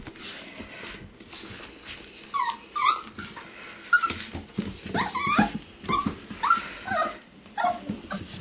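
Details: Six-week-old Pomsky puppies, a Pomeranian and Husky cross, give short high whining squeaks repeated roughly every second, some rising and falling, over soft indoor rustling and low background noise.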